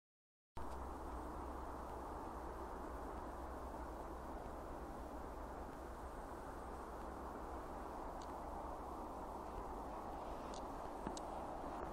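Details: Steady rumbling background noise like a passing train or vehicle, with a few faint clicks and no animal sound.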